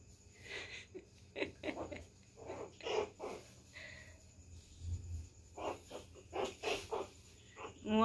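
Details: Puppy Pinscher teasing and pestering a poodle, with short, gruff, snorting barks and growl-like huffs in irregular bursts, some closely bunched, against a faint steady background hum.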